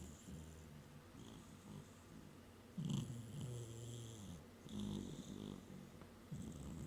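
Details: Gizmo, a pet cat napping on a work desk, snores in low, droning breaths: a steady murmur, then louder rasping snores at about three, five and six seconds, each with a faint airy hiss above.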